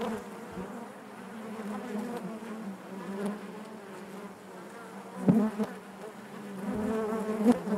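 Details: Dense buzzing of honey bees in the hive: a constant low hum layered with overlapping wingbeat tones, and a sharp louder burst near the middle where a bee moves past nearby.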